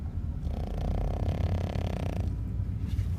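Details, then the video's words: A dog snoring: one rasping, fluttering inhalation of about two seconds over a steady low rumble. "Храп сильной и независимой собаки"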